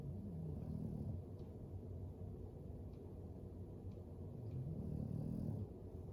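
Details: Deep, rough snoring from Floyd the English Bulldog while he sleeps beside a fire. Two swelling snores, near the start and end, rise over a constant low rumble indoors.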